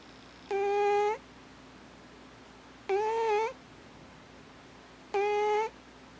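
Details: Sleeping alpha cat Thames snores with three whiny, tonal squeals, each about half a second long and gently rising, spaced roughly two and a half seconds apart, against a quiet indoor background with a low hum.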